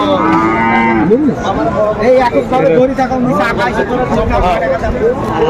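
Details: At a Comilla cattle market in Bangladesh, January 2025, Sahiwal bulls give a long, low moo that opens the recording, then shorter grunting calls. Dense crowd chatter and men's voices continue around them.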